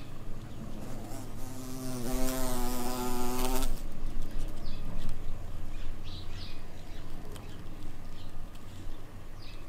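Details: A buff-tailed bumblebee queen foraging for nectar and pollen in spring makes a single close, low, steady droning buzz lasting under two seconds, then fades, leaving soft outdoor background noise.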